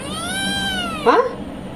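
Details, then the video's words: Male cat meowing for milk in a kitchen: a long, clear, tonal meow that rises slightly, then falls, followed by a short burst of a woman's voice speaking Tamil. "Funny Male Cat Wants to Drink Milk from the Kitchen | Asking for Permission!"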